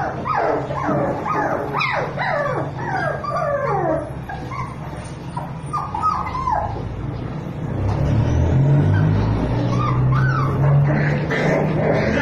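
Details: Belgian Malinois giving birth for the first time to ten healthy puppies: squeaky, rising and falling whimpers and yelps in rapid overlapping bursts for about four seconds, then sparser soft squeals over a low steady rumble.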